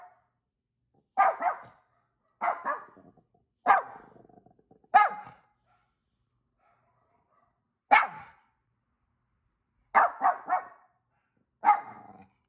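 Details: Pet dog in Vancouver, British Columbia, Canada, barking back at neighbouring dogs that were barking; sharp, loud single barks in short bursts, about eight over twelve seconds, with gaps of silence between.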